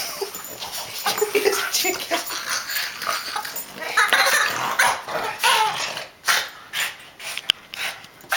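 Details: A Boston Terrier, worked up over a toy chicken during play, lets out short, excited barks and yips in quick, irregular bursts.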